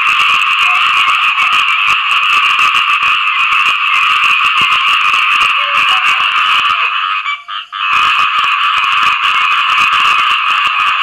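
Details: Striped-leg frogs, khiat i-mo, croaking for mates after rain: a thick chorus of quick, grating pulses, briefly dropping out near the eighth second before surging back at full strength.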